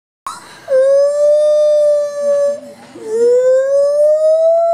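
A gibbon sings long, sustained hooting notes, the second dipping and then slowly rising.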